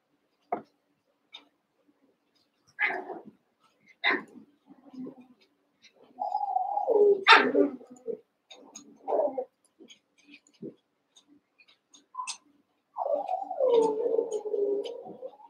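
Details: Seven-week-old Cavalier King Charles Spaniel puppies, eight sharing a pen, play-fight with a few sharp yips, then long wavering whine-growls twice, the second near the end, amid light scuffling noises.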